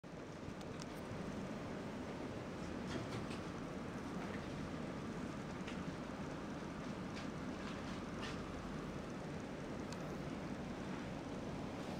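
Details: Steady broadband rumble, like a running engine or fan, with faint high ticks throughout and no animal calls.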